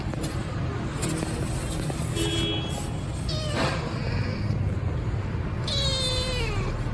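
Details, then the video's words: Hungry rescued kitten Milo meowing loudly while waiting for food: several harmonic meows, a short one near two seconds, a stronger one mid-clip and a long falling cry near the end, over steady low rumbling background noise. "Kitten Milo is Talking "I'm hungry tired", Giving Foods for Milo, Meowing loudly"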